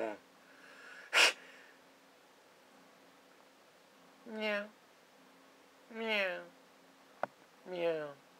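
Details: A cat named Briggs, being scared indoors, gives one short breathy hiss, then three drawn-out, wavering meows that rise and fall in pitch, spaced roughly one and a half seconds apart, with a sharp click between the last two.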